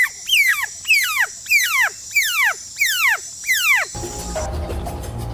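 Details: A smoky jungle frog gives a loud, cat-like distress cry used in times of danger: wailing calls that slide steeply downward, repeated in quick succession.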